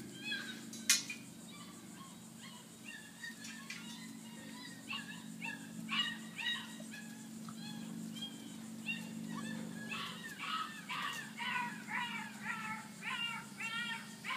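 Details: Two male pups, Ringo and Mingo, recorded 26 August 2013, give a steady run of high, arched whines and yips, roughly two each second, over a low constant hum.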